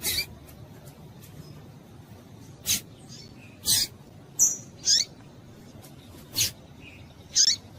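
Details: Female double-collared seedeater calling to stimulate males: short sharp high-pitched chips and squeaks, some with a brief whistled tail, scattered irregularly over eight seconds against faint background noise.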